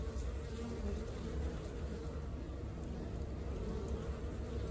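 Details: Honey bee colony at work: a dense, steady low buzz of many bees humming together without pause, mostly deep in pitch, with no other clear sounds.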